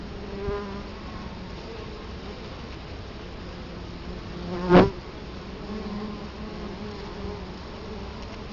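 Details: Steady humming of Italian honey bees at the front of a hive, Colorado Springs, October 2011; layered droning tones rise and fall as bees come and go, and one bee zips past the camera with a sharp loud burst midway.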